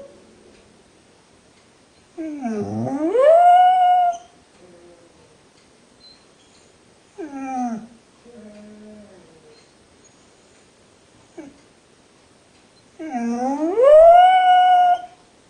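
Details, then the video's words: Pet dog Rogue, unhappy at being left in the kennel, gives drawn-out rising whines, a shorter falling whimper and softer murmurs between, with quiet pauses, then another long upward-sliding whine near the end. "Rogue song of despair"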